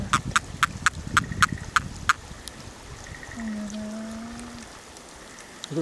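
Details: A Japanese common toad, caught in breeding season as it surfaced from a marsh, calls when held in the hand: a run of short, clicking chirps, then quiet beneath a low hum.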